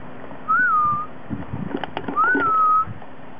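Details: A 9-week-old purebred Rottweiler puppy gives two thin, high whines that rise briefly and then slide down.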